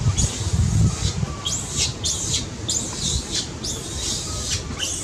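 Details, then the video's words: Baby monkey crying loudly, said to be having a seizure and needing its angry mother's care: a run of shrill, arching squeals repeated about every half second over low background rumble. "Baby monkey cries loudly"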